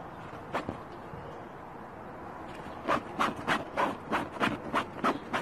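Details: After a quiet start with two isolated yaps, a Pomchi, the Pomeranian Chihuahua cross, breaks into a steady run of about eight rapid, evenly spaced barks.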